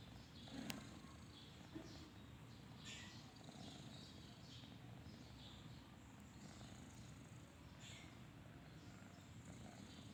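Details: Faint, even low-pitched rumbling from a sleeping kitten's snoring, with a couple of soft clicks near the start and light chirps in the background.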